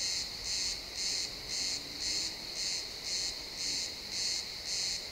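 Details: Crickets in a pine forest at sunset, realtime XY stereo recording: nine piercing, buzzy chirps evenly spaced about half a second apart, a faint low tone drifting briefly behind them.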